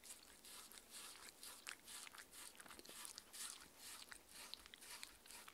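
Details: A six-year-old female Shetland Sheepdog, Mindy, chewing her raw-food meal indoors; rapid, loose rhythm of about two crunching bites per second mixed with slurping, smacking mouth sounds.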